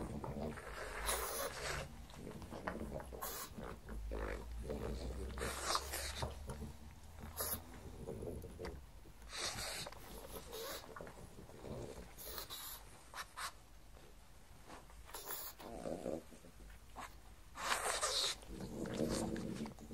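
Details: Pug named Mars eating a breakfast of cucumbers, white bread croutons and beef bacon indoors. Wet chewing, smacking and snorting come in uneven bursts, with sharp crunching clicks scattered throughout.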